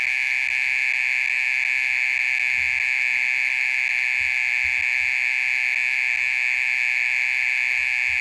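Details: Night-time song of a mole cricket that keeps calling for over thirty minutes: a dense, even, high buzzing drone without breaks, steady in pitch and loudness.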